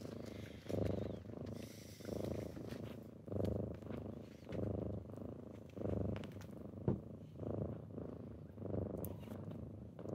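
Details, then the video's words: Domestic kittens rousing their owner in the morning with purring: low, even rumbling that swells and fades in breaths under a second long, with a few soft taps and rustles indoors. "Morning with kittens"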